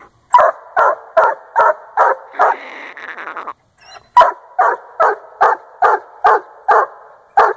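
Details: Young male Treeing Walker Coonhound at a raccoon tree in Northern Missouri, barking steadily roughly twice a second; a brief rasping, whining stretch interrupts mid-sequence before the rhythmic chop barks resume.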